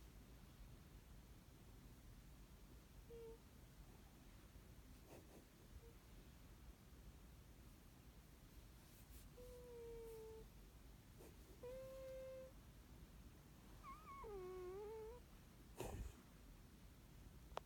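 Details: Sleeping dog making soft, high whimpers in a quiet room: a few faint short whines, then longer wavering ones that dip and rise near the end, with a light tap and steady low room hum.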